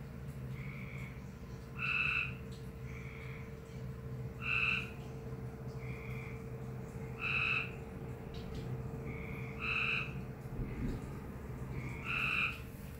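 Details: A frog making an unusual noise: five paired calls, each a soft short note followed by a louder, nasal, harmonic-rich note, repeated about every two and a half seconds over a steady low hum.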